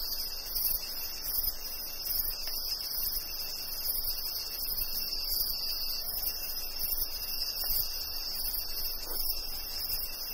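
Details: A steady, high, shimmering rainforest chorus of crickets and cicadas rings without pause over a low wash of light rain and dripping, with distant hornbill calls.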